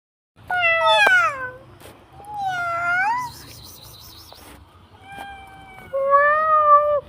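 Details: Domestic cat giving four clear, tonal meows over seven seconds, the first falling in pitch, the second rising then dipping, the last a long, level, drawn-out cry, with a quiet low hum underneath.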